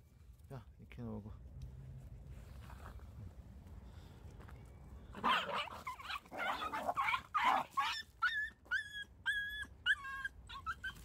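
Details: Young Jindo puppy in the countryside at feeding time gives a quick run of short, high, whining yelps, roughly two a second, each with a bent, falling tone, following a stretch of a person talking softly nearby.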